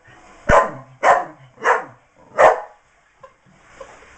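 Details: Four loud, gruff barks about half a second apart come from Blaze, a female miniature English bull terrier trying to get her toy out of a box, then quiet shuffling.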